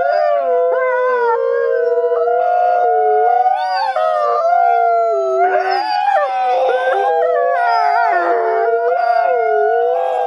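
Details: Captive-born gray wolves in South Salem, NY, howling in chorus to strengthen social bonds; many overlapping tones waver and shift pitch continuously, with rougher yip-like bursts around six and eight seconds.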